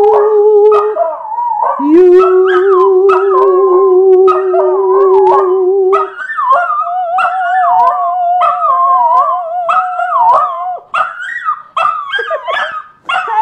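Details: Spike, a singing dog, howls along to Happy Birthday: long wavering tones sliding up and down in a melodic line, some notes held for several seconds, with people singing the birthday song alongside.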